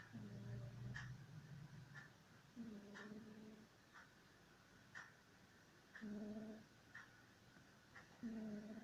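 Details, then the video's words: Sleeping domestic cat snoring indoors: low, rough, harmonic snore bursts every two to three seconds, each about half a second to a second long, with a faint steady ticking throughout. "baudelaire the cat sleeping and snoring"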